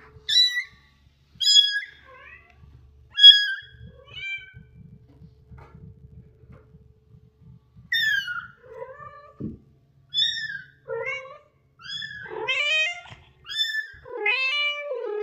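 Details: Mother cat with her kitten, protecting it from danger: a series of short, high, bright meows spaced a second or two apart, then a quicker run of wavering, rising-and-falling meows, in a quiet setting with a faint low rumble between calls.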